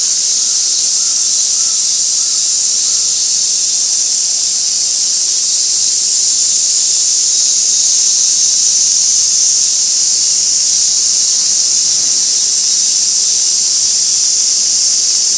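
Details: Summer cicada chorus at Gaikotsu-yama, Japan, 2 August 2024, near an old sawtooth oak, fixed camera: continuous high buzzing wall of sound, unchanging throughout, with faint low rustles beneath.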